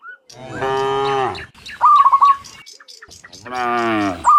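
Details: Cattle heading back from the field to their pen in the morning give two long, full moos that rise and fall, with a short burst of sharp repeated chirps between them.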